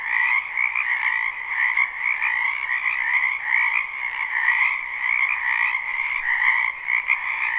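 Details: Frogs croaking in a spring wetland behind a house, recorded live at night without looping: a dense, unbroken chorus of overlapping trilled croaks in two stacked bands, one mid-pitched and one higher, with no other sounds standing out.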